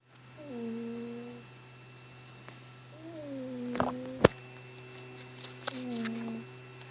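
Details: Weebo, a female cat, sleeping indoors, possibly dreaming: three drawn-out, moaning tonal sounds, each about a second long and dipping slightly in pitch, with a few faint clicks and a steady low hum behind.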